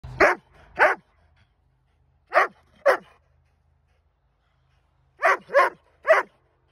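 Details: Doberman. A Doberman gives loud, abrupt barks with a harsh edge, grouped in pairs and then a quick triple. Brief silences separate each group, and no other sounds intrude.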